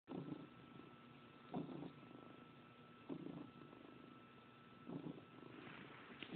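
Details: Domestic cat kneading the sheets vigorously while in a really good mood, giving its special happy purr, gruffer than usual, recorded on a phone indoors; rumbling purr pulses in rhythmic bursts about every one and a half seconds with a steady faint hum.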